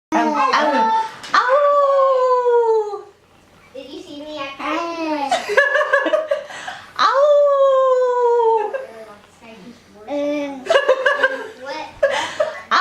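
A wolf gives wavering howls that slide downward, broken by short yelping and talking-like notes.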